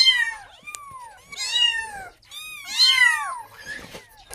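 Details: Hungry kitten calling its mother for milk, giving three drawn-out, high meows that bend upward then slide down, each about a second long, with soft rustling between them.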